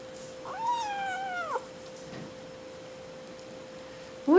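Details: Spoiled, hungry 5-week-old Seal Point Himalayan kitten Madeline Rose gives a drawn-out falling meow with rich harmonics, about a second long, then quiet with a constant hum and a loud sound starting at the end.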